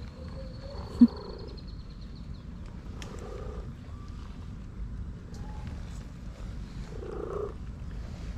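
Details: Orange stray cat, fed outdoors daily, vocalising while enjoying a massage: a short, low meow at the start and another near the end, over steady outdoor rumble with a thin high whistle early on.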